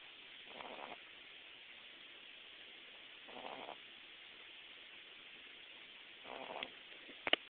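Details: Boston Terrier puppy asleep, snoring softly: three breathy, rasping snores spaced about three seconds apart over a steady background hiss, ending with a brief sharp click.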